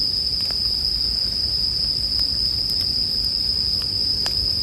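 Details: Bell crickets keep up a constant, piercing, bell-like tone, with a few crisp crackles from a campfire and a soft low rumble beneath.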